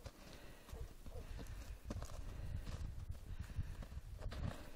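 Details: Horses galloping through snow: a dense, rapid run of soft, muffled low thuds with brief sharper strikes, steady and close throughout, no other clear sounds.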